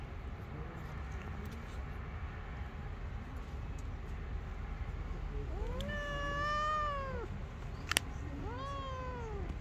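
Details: Two street kittens climbing on a lap and playing; two drawn-out, arching meows, the second shorter, over steady low rumbling background noise with a sharp click between them.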